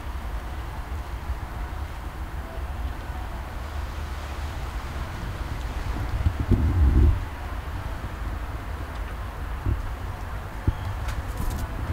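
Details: Steady low wind and vehicle rumble outdoors under a bridge in Istanbul, with a brief louder gust near the middle and a few faint clicks, no animal voice.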